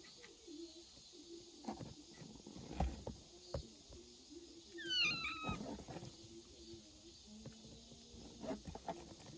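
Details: Kitten hiding in a woodpile on August 16 lets out a single short, high mew that falls in pitch. Knocks and rustling sounds come before and after it.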